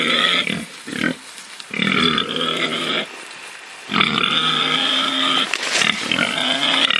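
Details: Farm pig giving three prolonged, strongly harmonic squealing calls of about a second each, with brief grunts between them and no other clear sounds.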